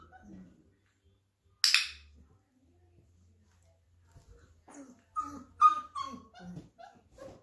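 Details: Flat-Coated Retriever puppies, 34 days old, being introduced to a clicker: a single sharp click sounds, followed after a pause by a run of high, thin whimpers and short whines, several in quick succession, with low room hum beneath.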